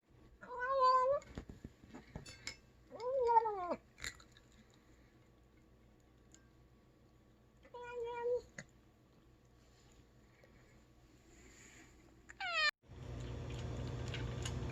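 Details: Skinny rescued male cat vocalizing while eating, giving short harmonic meows that bend up and down like speech, with quiet gaps between and a burst of noise at the end.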